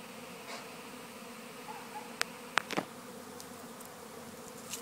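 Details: A passive swarm of European honey bees (Apis mellifera), searching for a new hive in Gawler, South Australia, makes a steady, low, droning hum, heard from within the swarm.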